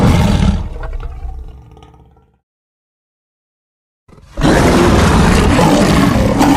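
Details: Lion roar: the end of a deep roar decays into a low rumbling growl, silence follows, then a fresh, very loud, rough and sustained roar fills the rest.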